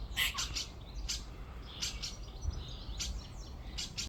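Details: A squirrel in a tree in a back garden gives sharp, high, chirping chatter in short bursts, several in quick succession every half second to second, over quiet outdoor background.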